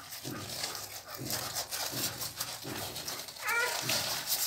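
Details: Newborn Pit Bull puppies, two days old, make brief squeaky cries about twice a second, with one higher whistled squeal near the end, against constant background hiss and light rustling.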